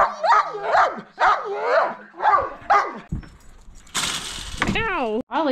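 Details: Excited yelping barks from Turbo, a Siberian Husky and Belgian Malinois mix sled dog, about to pull a kicksled, in a quick run of rising and falling yelps, then a burst of hissing noise and a long wavering howl-like whine.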